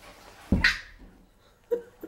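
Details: Five-week-old puppy indoors gives a single sharp, bright yelp after falling over and banging its head on a door; a fainter short cry follows about a second later, with quiet room noise between.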